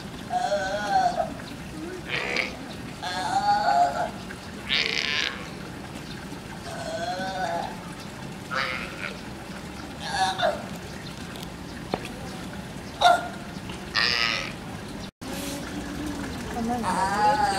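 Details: California sea lion pup at a zoo in June 2017 giving repeated bleating, harmonic calls, possibly calling its mother while climbing a rock as she encourages it from behind, with people chatting in the background.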